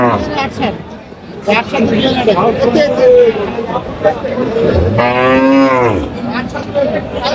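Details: Cows and calves at the Aftabganj cattle market in Dinajpur, held on 5 July 2025. One long, deep, harmonic moo swells and fades over about a second near the end, amid steady crowd chatter and voices throughout.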